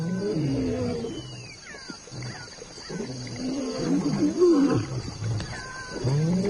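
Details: Lion, from a wildlife documentary: deep, rumbling harmonic growls rising and falling in long drawn-out phrases, with a brief swell of louder moaning near the middle and a faint hiss behind.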